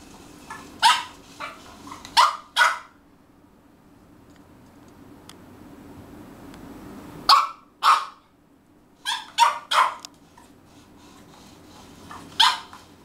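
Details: French bulldog indoors, hungry and calling for food: short sharp barks in loose bunches of two or three, separated by quiet gaps of a few seconds, over low room hum.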